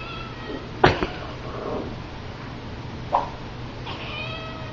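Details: Female pet cat calling at the sight of a horse whip, whose noise she likes. Short harmonic meows, the clearest near the end, with a sharp thud, clicks and people talking close by indoors.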